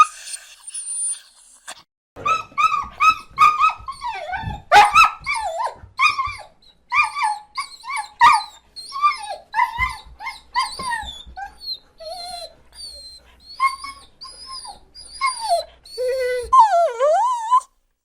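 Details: Crying dog giving sad whimpers and laments: a steady stream of short, high-pitched whines and yelps with wavering, bending pitch, ending in a few drawn-out falling and rising cries, in a quiet setting.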